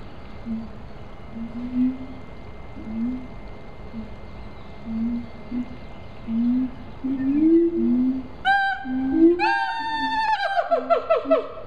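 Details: Zoo siamangs in Columbia, South Carolina give soft, low hoots that grow closer together and louder. They then burst into sharp, high, rising whoops and quick barking notes, with a faint steady hum behind them.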